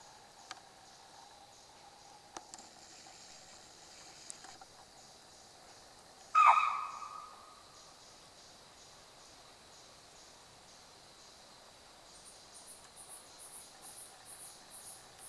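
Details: In grassland near Kaladhungi, Uttarakhand, India, at dusk, a chital confronted by unknown danger, in an area with tigers and leopards, gives one sharp, shrill alarm bark that drops quickly in pitch, over a steady insect hum.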